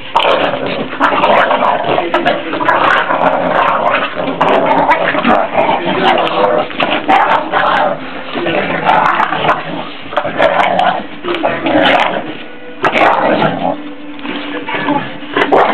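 A pit bull gives rough, continuous growling vocalizations, with people chattering nearby.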